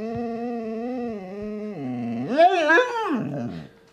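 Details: Pet dog indoors giving a drawn-out vocal whine: a steady, level tone for nearly two seconds, then a dip and a wavering rise and fall, as if talking back, while its owner tells it to get down off a chair.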